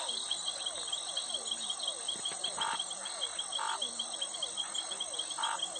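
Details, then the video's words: Occasional brief frog croaks, three or four spaced about a second apart, rise out of a loud unbroken wall of cricket and insect trilling. "sound effect suara katak"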